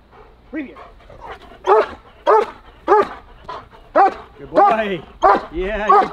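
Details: German Shepherd during protection training giving rapid, forceful barks about every half second, some ending in a rasping, drawn-out growl-bark, while a handler speaks encouragingly over them.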